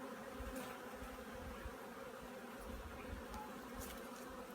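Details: Honey bees at an apiary getting ready for winter: a steady, dense low hum with a faint droning overtone runs throughout, with a few soft clicks and taps from handling nearby.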